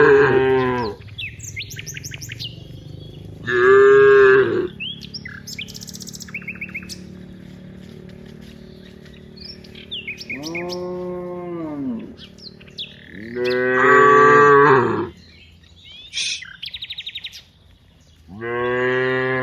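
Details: Dozens of cows head from the rice fields to the village, lowing repeatedly: about five moos over twenty seconds, some short and some drawn out and falling at the end, with bird chirps scattered among them.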